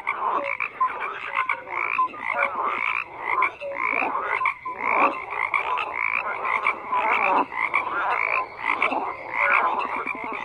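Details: Frogs croak in a thick unbroken chorus, coarse pulsing calls overlapping throughout, broken by short pure tonal notes and occasional slight dips in loudness.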